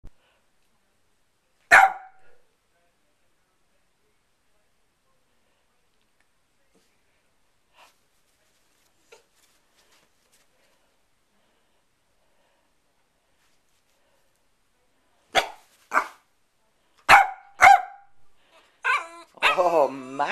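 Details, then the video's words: Pet dog Sherlock, sassy and barking at his owner from the bed, wanting to get down: one sharp bark early, then a long quiet stretch before a rapid cluster of short barks and a whining, wavering call at the end. "Sherlock barking at me on the bed"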